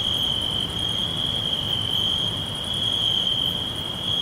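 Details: Chorus of crickets in a forest, a sustained high piercing trill running without pause, with faint faster pulses higher up and quiet low background noise.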